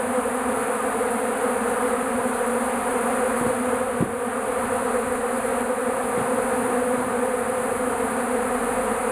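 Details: Bees crowding into a shed, attracted to melting beeswax and leftover honey; thick, unbroken droning buzz of many insects, with a soft knock near the middle.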